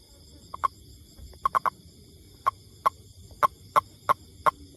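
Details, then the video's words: Toad calling with short, sharp clicking notes, each a brief tonal knock, given singly and in irregular clusters of two or three, about ten in under five seconds, over a faint steady high hum. "Amazing Sound Toad"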